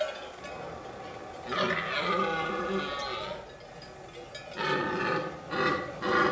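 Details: Red deer stag bellowing during the late-September breeding season in the remote mountains of the Pyrenees. Two hoarse, harmonic roars, one rising and sustained, then a burst of shorter strained bellows, over faint background rustle.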